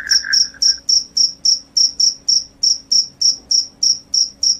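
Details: Cricket calling loudly, credited with driving away rats and bringing on sleep: crisp high-pitched chirps at an even pace of roughly three or four a second, with a brief lower trill at the start.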